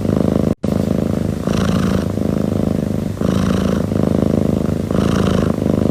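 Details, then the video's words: Soft, steady purring from one cat: a rolling low rumble pulsing with its breathing, louder surges coming about every one and a half seconds, nothing else audible. "猫咪打呼噜助眠 | 超级舒缓的猫咪呼噜声让你彻底快速入睡"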